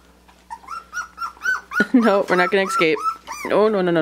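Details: Puppies aged three weeks and five days, on the day of their first taste of puppy mush, give a run of short, high whines that rise and fall, quickening into overlapping yelps, with a lower voice mixed in near the end.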